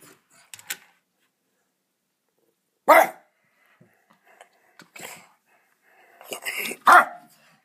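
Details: Pet dog barking again at a window; three sharp, isolated barks spaced a few seconds apart, with faint rustling and a brief human vocal sound in between.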